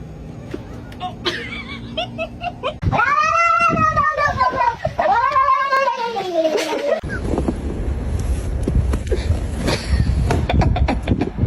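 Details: Domestic cat giving two long, drawn-out wavering yowls that rise and fall over about four seconds. Laughter and human voices come before, and clattering noise follows.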